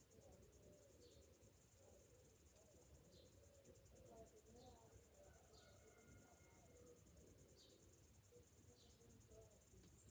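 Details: Cicadas singing on a summer morning: a high, rapidly pulsing drone fills the whole recording, while brief faint bird chirps repeat every second or two and low noise hums beneath.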